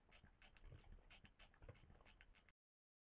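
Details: A wild boar snorts at a water fountain at night in September in Valles del Cerrato, Spain, caught on a camera trap: quick, breathy, rough low snorts and sniffs, about four a second.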